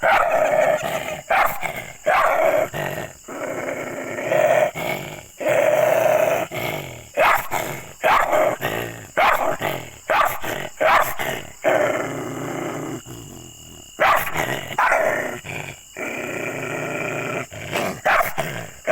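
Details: Angry, aggressive dogs barking loudly in rapid, irregular bursts, harsh and noisy with dense volleys of barks and short pauses throughout.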